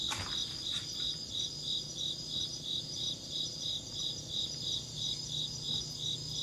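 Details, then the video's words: Shrill insect chirping, clear high pulses repeated about three times a second, beginning with a sharp click, over a continuous high hum and soft low noise. "Insect chirping sounds"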